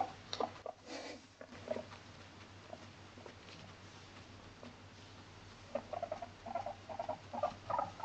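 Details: Indoors in an apartment, the home guinea pig Moru-chan, a female Abyssinian born November 2017, gives a few short squeaks and bumps at first, then after a quiet stretch a closing series of brief chirping squeaks.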